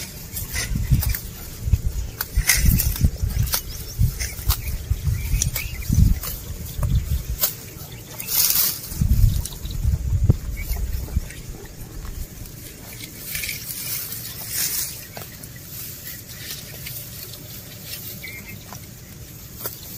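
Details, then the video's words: Cows and bulls walking while eating grass outdoors. Crunchy tearing and munching comes in uneven bursts with soft low thuds. The bursts are busiest through the first ten seconds, then fade to quieter, sparser chewing. "Sound Of Cows Eating Grass"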